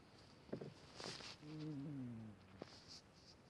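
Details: Elderly sick cat snoring: a wavering, gently falling tonal exhale of about one second, framed by soft clicks and rustles in a quiet room.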